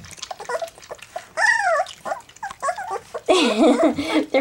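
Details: Several three-week-old black English Labrador Retriever puppies at their first taste of goat's milk; rising-and-falling whining squeals, a long wavering cry near the end, between quieter squeaks and slurping.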